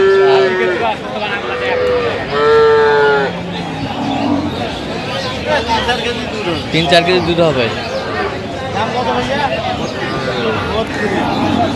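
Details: Dairy cattle of an improved breed at Aftabganj haat, Dinajpur, 21 October 2025: two or three clear, sustained tonal moos in the first three seconds, then busy human chatter and market bustle.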